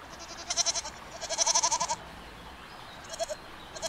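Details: ["A goat's short bleats, two tremulous, stuttering calls in quick succession, the second longer and louder, followed by a faint brief bleat."]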